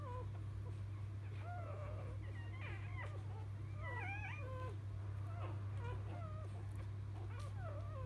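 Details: Newborn field-type Labrador Retriever puppies just after birth to Biscuit, 2017 JFA Grand Champion, crying together in overlapping high squeaks and wavering whines, some rising then falling, over a steady low electrical hum.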